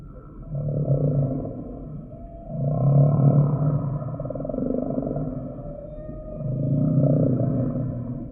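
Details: Humpback whale song: low, droning moans with stacked harmonics swell and fade in three long phrases, each loud surge lasting about a second or more, with a steady underwater hum between them.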